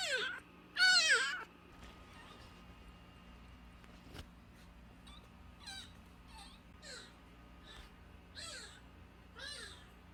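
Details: Nursing kitten less than a month old, found crying at the front gate of a house and taken indoors, gives two loud, high, arching mews at the start, then a run of fainter, shorter mews; quiet room background.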